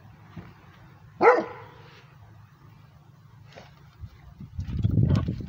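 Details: Rhodesian Ridgeback barking at passing transportation: one loud, sharp bark early on, then quieter sounds and a rising low rumble like a passing vehicle at the end.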